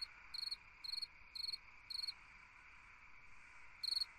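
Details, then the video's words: On a summer night a cricket gives four evenly spaced trilled chirps, each a brief cluster of pulses, then falls silent for about two seconds before one more chirp; a soft insect drone continues throughout. "Chant d'un grillon dans une nuit d'été / Singing a cricket in a summer night"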